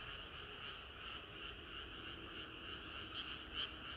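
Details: Frog chorus on a hot summer night: continuous blurred croaking wash with a few louder notes near the end, individual pulses hard to separate.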